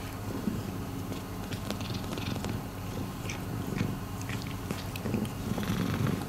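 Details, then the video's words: Miiko, a rescued domestic cat indoors, purring: a low, steady rumbling drone with faint clicks and small handling noises scattered over it. "Miiko is purring."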